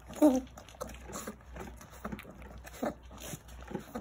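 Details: Jindo puppies whimpering and squealing indoors while competing fiercely for food, short high whines scattered over soft shuffling and rustling, with a louder squeal near the start.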